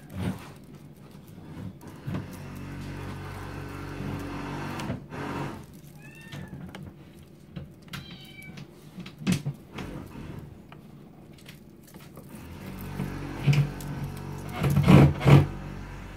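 A Maine Coon kitten gives a few thin, high mews over low background rumble and handling noise.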